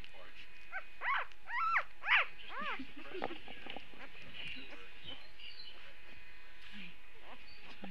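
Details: Puppies early on a Saturday; a quick run of high, arching whines and yelps in the first three seconds, then quieter scattered whimpers against a steady low hum.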